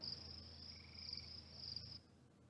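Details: Gray tree frog call, played back as a recording during a talk on barn owls in Minnesota; a steady high trill lasting about two seconds that stops abruptly, over a low background hum.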